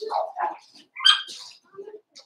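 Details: Four-week-old Cavalier King Charles Spaniel puppies in their pen, giving short high yelps and squeaky whines in quick bursts, several overlapping voices with brief gaps between them.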